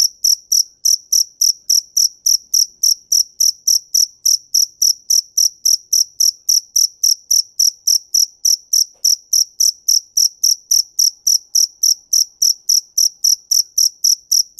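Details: Cricket chirping steadily for the whole stretch: short, bright, high-pitched pulses repeated almost four times a second in an even, unbroken rhythm, with no other sounds heard.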